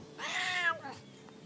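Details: Single strained meow from a house cat talking back to its human, bright and nasal, arching upward and then sliding lower over half a second before fading into quiet.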